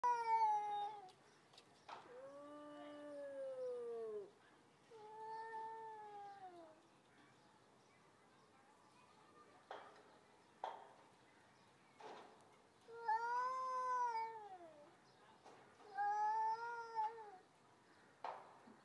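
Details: Two stray cats yelling at each other in threat just before a possible fight: long drawn-out yowls with wavering, falling harmonics, repeated in several bouts separated by short pauses and faint clicks.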